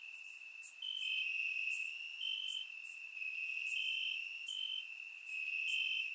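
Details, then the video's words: Crickets chirping in grass on a warm summer night in Bulgaria, recorded with a surround microphone; steady high trilling band with short brighter pulses alternating in pitch, plus faint higher insect buzzes overhead. "Crickets Chirping at Night"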